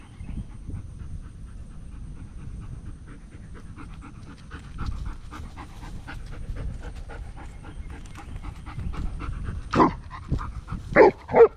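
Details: Curious German Shepherd on a morning walk meeting a turtle; soft fast panting breaths running through most of the recording, then several louder sharp bursts near the end over low background noise.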